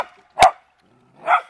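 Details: Beagle/Dachshund family dogs at play in water, one digging for the water; two separate barks, a sharp clipped one followed a second later by a softer, more hoarse one.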